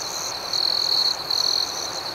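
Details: Cricket at night giving two loud sustained high trills, each lasting about half a second, separated by a short gap, with fainter pulsing chirps from other insects behind.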